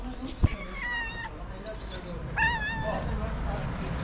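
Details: Stray street cat that wants love and food, giving two drawn-out meows, the first level and steady, the second wavering then falling, against low background rumble and a sharp tap near the start.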